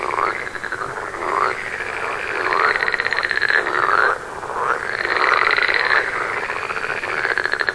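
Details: In a forest near a village in India, a green tree frog gives rapid, raspy, pulsed croaks in long bouts with brief pauses.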